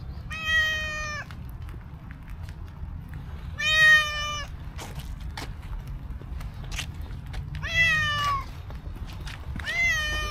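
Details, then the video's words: Street cat with black-and-white cow markings coming up to a person, meowing sweetly: four drawn-out harmonic meows roughly every three seconds, the third bending downward at its end, with a steady low background hum outside. "Incredibly Cute Cow Cat came to me with sweet meow"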